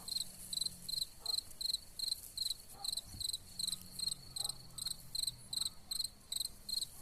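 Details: Cicadas singing among wild gladiolus: a high, buzzy pulsed chirring repeated in quick regular bursts, about two to three per second, with a steady faint low hum beneath.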